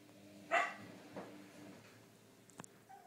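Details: A six-day-old golden Cocker Spaniel puppy gives a brief, high, squeaky yelp, followed by a fainter whimper.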